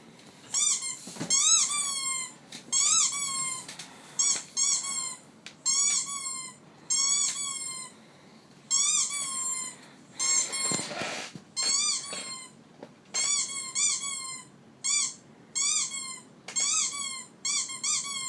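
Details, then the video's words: Pet dog making a squeaky sound: thin, high, harmonic-rich squeaks, each rising then dipping, in short bursts about every second for the whole stretch, with a brief rustle midway. "Squeaky sound on my dog"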